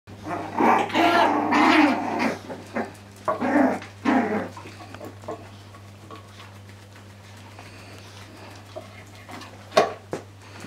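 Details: Lhasa Apso puppies playing with their father give a burst of high, rough yaps and growls, then fall mostly quiet.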